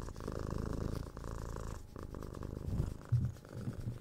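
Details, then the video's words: Purring from a six-month-old kitten being cuddled, kissed and scratched; loud low rumble easing after the first second, then softer uneven purring with a brief louder bump near the end. "Cat Purring"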